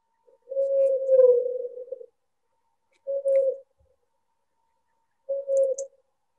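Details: A blue whale calling about 650 miles away, sped up thirty times so it can be heard, becomes a steady moaning tone and two shorter tones.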